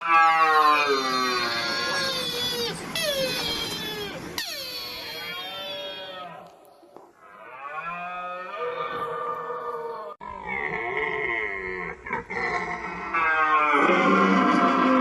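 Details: Red deer stag roaring during the rut, recorded and processed with 8D audio technology; long, deep, harmonic-rich bellows that rise and fall, drawn out over several seconds and separated by short pauses.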